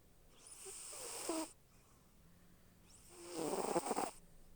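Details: Pet cat snoring while asleep: two rasping, breathy snores roughly three seconds apart, each swelling over about a second with a buzzing rattle, and a faint steady hum underneath.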